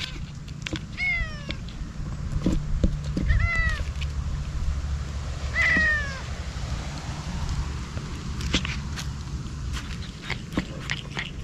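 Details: Ear-tipped stray cats cry at a feeding of Kalkan and Churu, cautious but eating fast; three clear descending meows spaced about two seconds apart, with clicks and faint rustling over a low steady hum.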